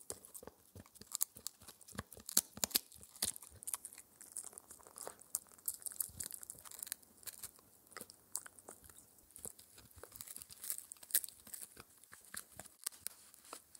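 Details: Spencer, a Shetland Sheepdog puppy aged four months, works on a raw air-dried ear dental treat. Dense crunching and bright crackly bites run at roughly two to three per second, uneven in strength, with no speech.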